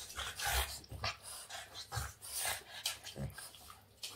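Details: Boston Terrier playing with its owner's hands, making short rough growly huffs and snorts in quick bursts about every half second, with rustling of hands and movement throughout.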